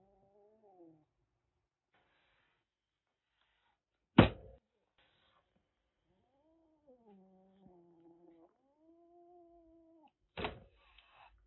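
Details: A rescued calico kitten of about one and a half months, a stray caught in Kagoshima, Japan, before a typhoon, hisses threateningly from its cage. Low wavering growls are broken by two sharp, explosive spitting bursts near four and ten seconds.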